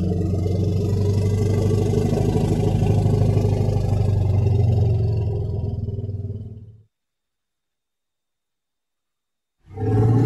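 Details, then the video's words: Elephant producing a deep, throbbing low rumble with rich layered tones, held steadily for nearly seven seconds before cutting off, then a second rumble starting after a short pause. "Tiếng kêu con voi || The sound and picture of the Elephant"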